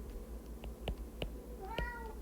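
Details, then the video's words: House cat indoors during a lesson, giving one short falling meow near the end after a series of sharp clicking taps over a low background hum. "I don't know if you can hear my kitty in the background"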